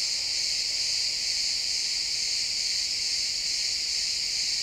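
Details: Chirping crickets fill a pine forest at sunset with an unbroken, bright high-frequency buzz, many callers overlapping into a constant even drone throughout, nothing else audible over the insect chorus.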